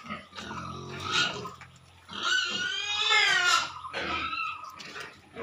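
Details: Pigs at Nikunja Piggery, low grunts leading into a long shrill squeal with wavering harmonics lasting over a second, then further short squealing bursts.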